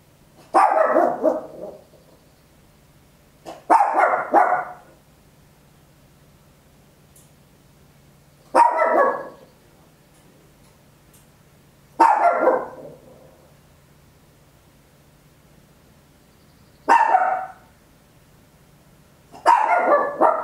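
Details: A tiny Papillon dog barks very loudly at home, captured in stereo on an Olympus LS-11: six sharp, harsh barks spaced irregularly, roughly every three to four seconds, each a short noisy burst with quiet hum between.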